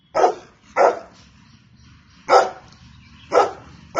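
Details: Barking Golden Retriever: five strong, short barks, the first two close together, then the rest spaced about a second apart over a low background hum.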